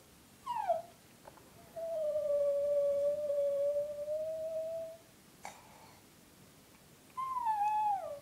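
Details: Female Brussels Griffon giving a soft, beautiful howl. A falling whine leads into a long, steady, clear tone held for about three seconds. After a pause comes another gently falling howl.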